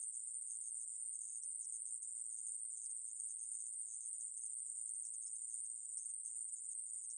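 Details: Continuous shrill buzzing of the aemaeburi grasshopper, a 2020 National Institute of Biological Resources recording. The high, even hiss runs without a break and nothing else is heard.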